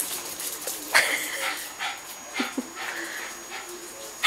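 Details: Pet Cairn Terrier freshly bathed, making brief squeaky whines and soft yelps scattered through the clip, one sharp squeak near the start and another at the very end, amid rustling movement and a faint constant high tone.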